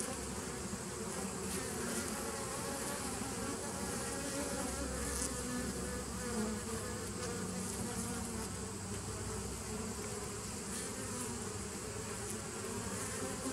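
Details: Loud, steady bee buzz recorded 27 September 2018: a rich low drone with several layered tones and a constant hiss, occasional faint higher tones drifting through.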